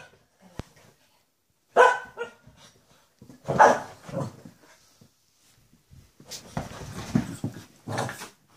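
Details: Barking indoors as Shih Tzu Louis meets his mother Lacey again after seven months; several loud, irregular barks spaced a second or two apart, with light voices and household noise in between.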